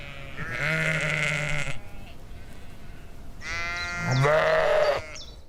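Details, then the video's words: Sheep in a summer field in the Chiltern Hills, 2025; two long wavering baas, the first deep and steady, the second rising harsher and louder after a quiet gap with faint background hiss. "Sheep Sounds ~ The Sound Of Sheep ~ Baa Ba"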